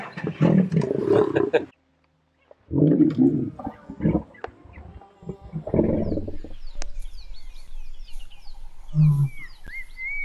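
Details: Lions of Thornybush, the Northern Black Dam males with their Avoca Pride: deep, rough roaring grunts in four bursts over ten seconds, broken by a brief silence, with small birds chirping and whistling behind.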